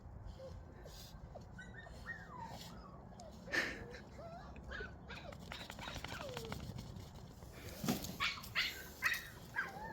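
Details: Puppies, including one named Jenny, busy eating lung; thin high whimpers and squeaky rising whines come in quick bursts, with a few louder knocks and people praising the dogs in the background.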